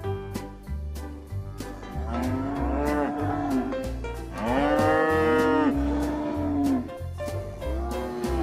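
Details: Cattle lowing in three bouts: a wavering moo, a louder and longer bellow in the middle, and a short final call, all over a steady music bed with percussion.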